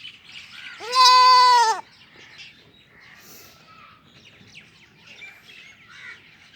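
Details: A baby goat kid gives one clear, high, wavering bleat, with faint bird chirps behind it.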